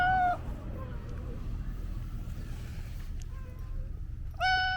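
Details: A house cat meows briefly, then gives a fainter drawn-out meow. After a quiet pause with low background hum, a loud, clear meow follows at the end.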